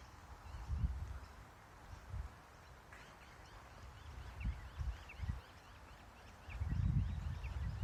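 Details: A kangaroo's low clucking, thought to be courtship, heard while watching kangaroos: short deep bursts spaced a second or so apart, then a longer loud run at the end, while small birds chirp thinly behind.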